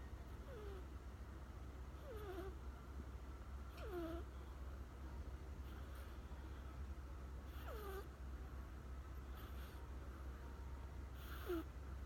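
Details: Riku, an American Shorthair cat, snores while asleep after sitting down beside someone: soft breathy rasps about every two seconds, each carrying a short whistled note that slides downward, over a steady low hum.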